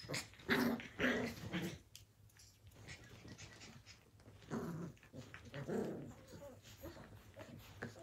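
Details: Australian Cattle Dog (Blue Heeler) puppies playing indoors in 2020: rough growls and short yaps in bursts around the first two seconds and again near six seconds, with a woman's soft voice nearby.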